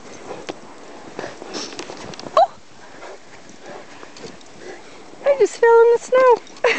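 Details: Greater Swiss Mountain Dogs and an Irish Terrier, grown males meeting again two years after first meeting as puppies, outdoors in snow; loud high whining yelps with a bent, wavering pitch come in a quick burst near the end, after quieter rustling.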